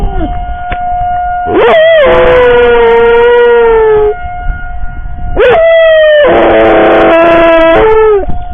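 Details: Pet dog Molly howling while sirens are being tested: long, drawn, slightly falling howls in two bouts, the second wavering. A steady loud siren tone sounds behind her throughout.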